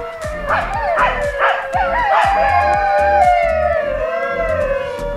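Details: Several dingoes of a pack at Moonlit Sanctuary, a wildlife park outside Melbourne, Australia, howl together in long, wavering tones that slowly slide downward, over a steady musical beat.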